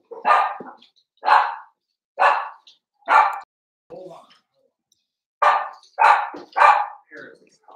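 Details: Playful Cavalier King Charles Spaniel puppies inside a home puppy pen give a run of sharp high puppy barks, roughly one per second with a short gap, some overlapping yips near the end.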